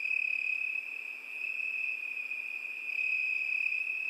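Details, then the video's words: Crickets singing on a summer night: a steady, high, shrill trill holding one pitch without pause, with a fainter higher overtone and slight swells in loudness. "ЗВУКИ ЛЕТНЕЙ НОЧИ. ПОЮТ СВЕРЧКИ."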